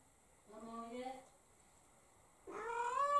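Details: Pet cat crying while feeling lonely with its owner gone to work: a soft, low, drawn-out meow, then after a pause a louder, higher, rising meow, heard indoors with little background noise.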